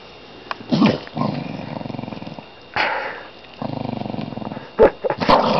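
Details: Pet dog indoors, awake and growling: several rough, buzzy growls of one to two seconds each, broken by short pauses, with a few sharp clicks and knocks near the end.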